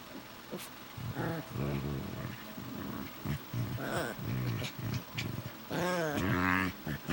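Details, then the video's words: Two Shih Tzu mixes carry on a grumbling Chewbacca-like conversation: rapid, rough, rolling moans and yowls in irregular bursts, ending in a louder, higher, wavering whine. "Chewbacca talk between two shih tzu mixes"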